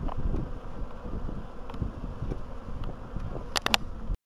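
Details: Bees in early spring on 14 April 2013, after a long winter, colonies having wintered well, with hazel and willow starting to flower; a dense, low, steady buzzing hum with rumbling wind-like noise, and a few sharp clicks near the end.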